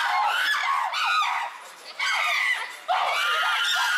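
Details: Captive chimpanzees at Tama Zoological Park, June 2022, in an uproar: loud harsh screams in three surging bouts, each swelling and breaking off, with brief quieter gaps between.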